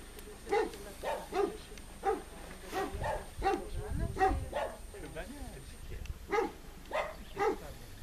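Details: Red deer on a meadow in the 2013 rutting season: a steady series of about ten short, hoarse barking grunts, roughly one every two-thirds of a second, with a low rumble between them.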